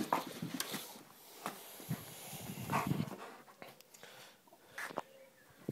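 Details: Dobermann. A Dobermann lets out brief, punchy barks mixed with higher yelping notes, spaced unevenly over several seconds. A man talks to it in a calming voice between the outbursts, and panting is faintly audible.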